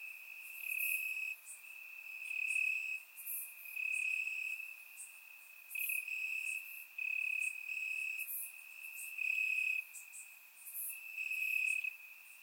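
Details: Grass crickets chirping on a warm summer night in Bulgaria, surround-recorded: repeated high trilled bursts of one to two seconds separated by short gaps, with fainter higher insect chirps in the background.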